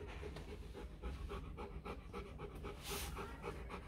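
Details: Rottweiler pups, four days old, sired by Vietnamese champion Loki Gervi out of Faye: quick, fairly even breathy puffs, roughly four per second, over low background rumble, with one sharp rustle near the end.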